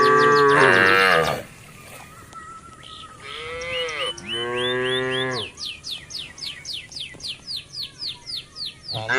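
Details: Grazing cattle on residents' green grass: a loud opening moo, then two arched, harmonic lowing calls in the middle, followed by a regular train of high chirps repeating about twice a second.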